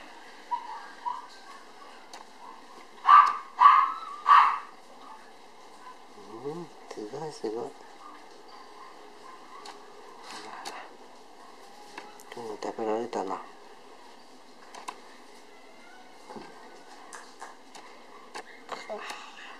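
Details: Toy poodle puppies nursing from their mother as weaning approaches, still preferring her milk: a few short, tonal, squeaky whines in quick succession, then quieter scattered peeps, with a man's voice talking in between.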